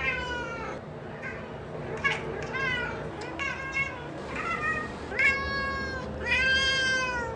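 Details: Domestic cat meowing repeatedly, drawn-out harmonic-rich meows that rise then fall, about six calls with short gaps, the last ones longer and louder; quiet indoor background.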